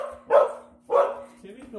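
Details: Molly, a dog with a tennis ball in her mouth, gives two muffled, mid-pitched barks about half a second apart, followed by a faint voice.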